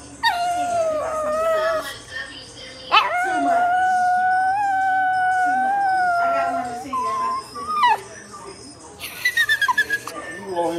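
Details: A dog crying: a long, steady, wailing whine held for several seconds with strong overtones, framed by shorter rising and falling cries and a burst of quick pulses at the end, with music playing.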